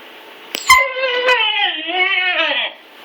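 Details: Male Siberian Husky puppy, recently neutered, whining indoors while struggling to climb the stairs: a sharp knock, then one long, tonal, wavering whine of about two seconds that slides gradually downward.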